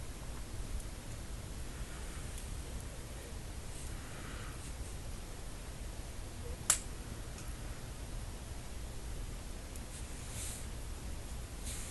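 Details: A quiet indoor room with a low steady hum, faint rustling and one sharp snap-like crack partway through; no barking or growling is heard.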